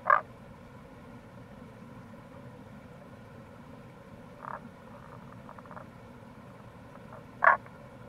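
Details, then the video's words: In April by the Kamo River gorge in Itoshima, Fukuoka, Japan, a wild Tago's brown frog (Rana tagoi) gives a sharp short croak, a softer note mid-clip and another sharp croak at the end, against constant low background rush. "Wild Frog Call | タゴガエル"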